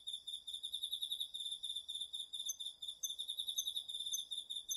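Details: Nighttime autumn insect chorus, crickets among them, from a garden field, DR-40X recording: layered shrill, rapidly pulsed trills at several pitches, with soft rhythmic swelling and faint extra ticks.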